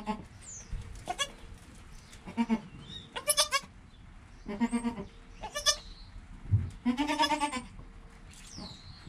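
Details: Goat kid Joel in his first hour of life alongside his mother Penny; a busy stretch of overlapping high and deeper bleats, some brief and some drawn out, mixed with rustling, bumps and faint thin sliding squeaks.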